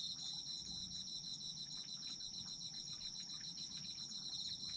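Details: Autumn insects singing for sleep ambience: dense, continuous high-pitched chirping chorus with steady pulsing trills, many overlapping callers forming an unbroken shimmering drone.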